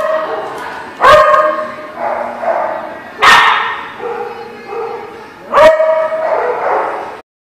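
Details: Dog barking, recorded 3/8/19: three loud, harmonic barks spaced roughly two seconds apart, each followed by a trailing tonal whine, over a faint murmur of background sound.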